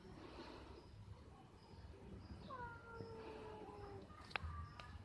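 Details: Cats mating up a tree, recorded 11/04/2021: a drawn-out tonal wail with stacked harmonics slides slowly downward for about a second and a half, then a shorter, higher cry follows, over a steady low rumble and one sharp click.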